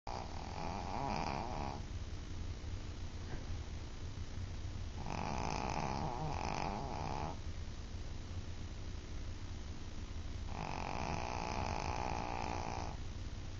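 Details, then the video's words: Small female Shih Tzu snoring loudly while asleep: three long rasping, buzzy snores, each lasting about two to three seconds, separated by quieter breathing, over a constant background hum. "Snoring Shih Tzu"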